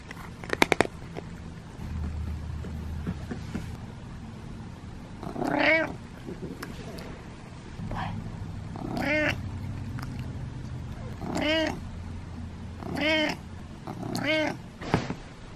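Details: Cat named Butters giving a series of short meows, about five vocal calls spaced a second or two apart, with low background rumble and a few clicks at the start.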